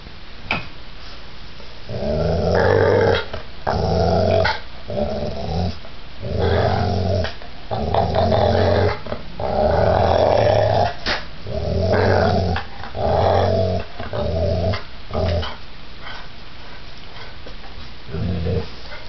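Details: Pit bull, described as giant, growling during a violent attack: deep rumbling growls in uneven surges, roughly one burst every second or two, with short quiet gaps between them.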